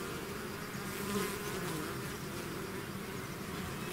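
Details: Bees swarming out of their hive: an unbroken low humming wall of wingbeats, with a single nearby bee's buzz swelling briefly near the middle before fading back into the crowd.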